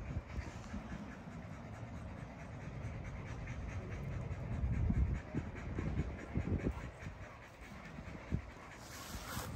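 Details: Great Dane panting outdoors, a rapid, irregular run of soft, breathy low puffs that rise and fall in strength, with a steady background hum.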